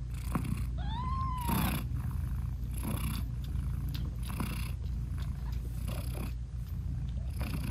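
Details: British Shorthair mother cat nursing her newborn kittens, whose eyes are still closed, purring and talking to them; a steady low purr runs throughout with soft breathy pulses about every second and a half, plus one short arched meow early on.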